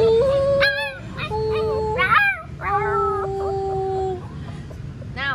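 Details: Young Alaskan Malamute puppies trying to howl like a wolf while the owner encourages them to howl, giving thin, wavering voices with long steady notes that overlap and break.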